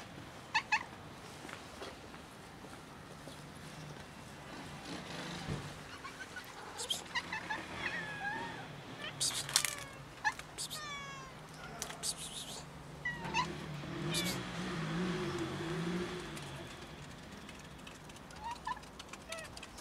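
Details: Cats waiting near a building for someone to feed and pet them; several short rising and falling meows overlap through the middle, with clicks, rustling, a low voice and soft street noise behind.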